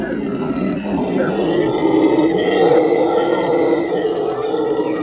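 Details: Howler monkeys screaming at a zoo: a loud, sustained, rough roaring chorus, steady and unbroken for the whole five seconds.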